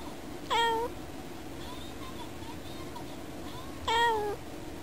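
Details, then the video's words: Pet cat indoors meowing while watching birds through a window; two short harmonic meows about three seconds apart, each dipping then flattening, over a steady low hum and faint chirps. "猫のいろんな声 - Various meow scenes of my cat."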